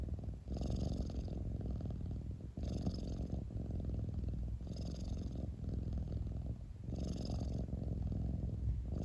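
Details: Close, steady purr of a cat, a deep throbbing rumble that pulses with its breathing, with four faint hissing breaths spaced roughly two seconds apart and a brief dip between them.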